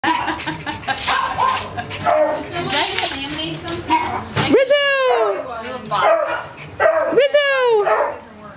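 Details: Small, happy Jack Russell terrier mix at a rescue shelter: people talking first, then two sharp, high, harmonic barks with falling tails around the middle and near the end.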